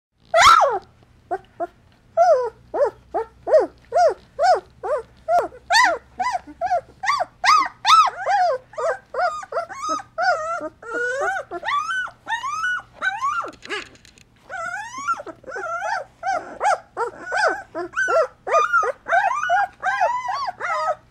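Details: Two-week-old Golden Retriever puppies of a litter, eyes newly open and wobbly walking, while their mother cleans and nurses them: a dense stream of high, falling puppy whines and squeaks, several pups overlapping, repeating rapidly throughout.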